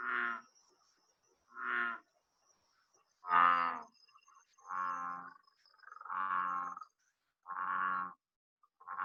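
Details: An American bullfrog in the Southeast Texas (Houston) area gives deep, resonant, cow-like drones, repeated about every second and a half.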